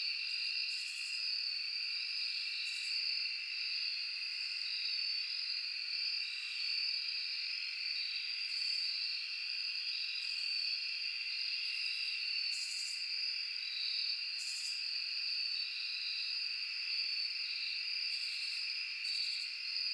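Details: A steady night chorus of crickets and other insects in a forest, high and continuous, with brief sharper insect bursts every few seconds.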